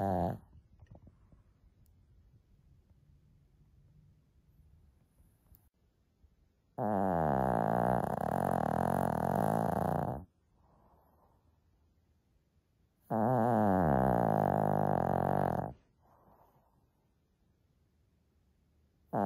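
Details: Sleeping female Shih Tzu named Lacey making loud noise: two long, rough, rattling snores of about three seconds each, separated by several seconds of quiet breathing.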